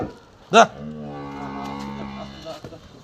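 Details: A cow at NS Dairy Farm lows in a steady, deep, sustained tone for about two seconds. A sharp voice cuts in just before the moo, and faint talk continues around it.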